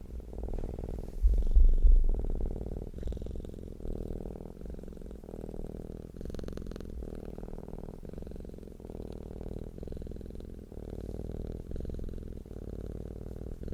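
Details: Purring cat with a deep humming rumble that rises and falls in regular breaths under a second apart, a louder burst near the start, then even and continuous.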